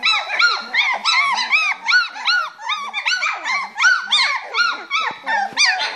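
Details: Playing in their box, three-week-old Springer Spaniel puppies squeal in clear arched, rise-and-fall notes, roughly three each second, overlapping from more than one pup.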